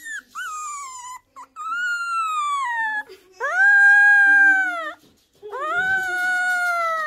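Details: A 3-week-old male Miniature Schnauzer puppy gives high, drawn-out howls that rise and then slowly sag in pitch, as if trying to speak or howl like a wolf.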